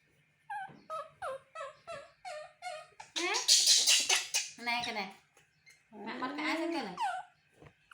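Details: A baby monkey whimpers in short tonal cries, then breaks into shrill screams, making these sounds to get its mother to comfort and hug it.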